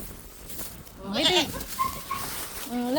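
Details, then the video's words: Pet goats: one loud, quavering bleat with a wavering, vibrato-like tone rises and falls near the middle, followed by shorter steady tonal calls, with people talking throughout. "Mga alaga kung kambing"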